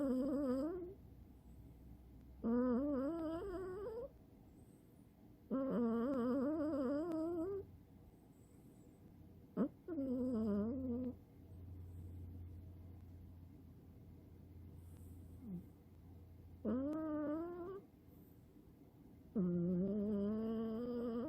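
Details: Tirol, a male Scottish Fold cat, snores like an old man while asleep indoors: tonal, wavering rising drones lasting one to two seconds, repeated every two to three seconds with quiet gaps between, and a faint low hum beneath.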